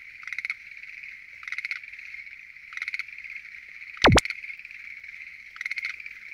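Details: Night chorus from a lotus pond, given as Schlegel's green tree frogs: short rattling pulsed bursts roughly every second over a steady background trill, with one sharp whooshing effect midway.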